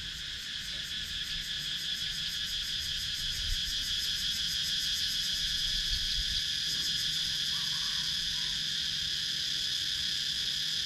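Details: Cicadas in wooded countryside of Sakon Nakhon, Thailand, captured on a GoPro Hero 9: a dense, unbroken high shrill with a fast pulsing shimmer at the top, steady in loudness throughout.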